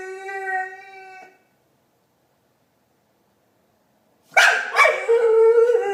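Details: Marley the dog making funny chewbacca-like noises: a steady, tonal, howl-like whine that stops, then after a long silence a harsh, rough, grumbling vocal burst.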